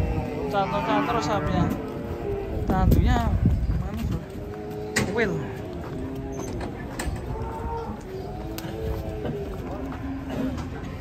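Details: Several banteng cattle from a herd lowing, with overlapping harmonic moos that rise and fall throughout, mixed with human voices, knocks and soft music.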